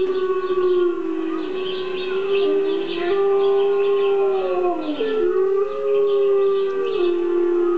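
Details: Pet dog Gordi answering wolf howls played from a recording, voicing a sustained howl that bends and slides down in pitch, then recovers, with layered tones overlapping as the wailing continues for several seconds.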